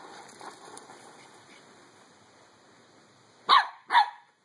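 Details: Pembroke Welsh Corgi puppy Skip, three months old, at play with a beach ball, gives two quick, loud barks close together at the end, after a stretch of low background hiss and faint voice.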